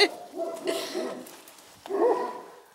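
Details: Central Asian Shepherd Dog barking outdoors: a few muffled barks, a pause, then a louder whining bark near the end, over a faint background hiss.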